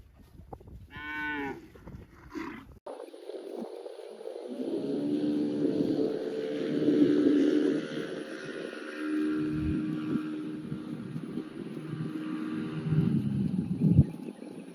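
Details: Cow giving a short nasal moo, then after a knock a long, steady, droning moo lasting about ten seconds, rich in harmonics and slowly fading, over quiet low background noise.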